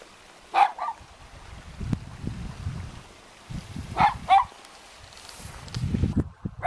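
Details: A dog on guard duty at a mountain house in Jeonju, North Jeolla Province, Korea, one of two dogs there, gives short, sharp barks, singly and in quick pairs. A low rumbling noise fills the background.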